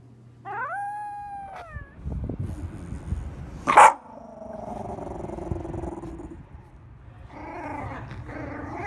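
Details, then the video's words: Shiba Inu dog giving a brief high whining cry, followed by scuffling, a sharp noise and lower grumbling vocal sounds. "EVERY SOUND A SHIBA INU MAKES IN UNDER 2 MINUTES.."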